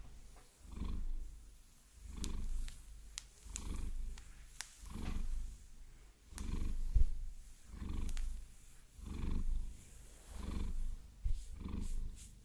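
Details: Massaged by long nails, the Maine Coon Vasilisa gives a low, pulsing purr that swells and fades about every second and a half, with sharp nail clicks and scratching.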